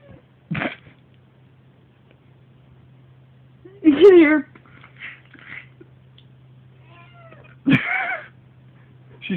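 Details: Female domestic cat indoors near a bed, giving a harsh, nasty meow each time she is grabbed: three short, strained, harmonic-rich meows, the loudest two about four seconds apart, over a low steady hum with faint voices.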